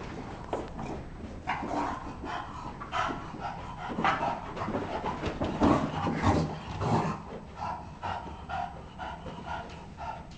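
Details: Bulldog playing in a basement: rough, breathy panting and snuffling bursts, irregular and roughly every half second, with scuffling through most of the recording in a small indoor room.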